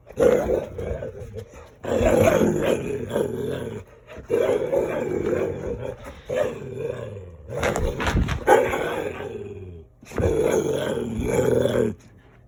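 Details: Playful Dalmatian dog making gremlin-like sounds while playing: rough, rumbling growly vocalisations in bursts of one to two seconds, about six bouts, with brief gaps and some handling noise.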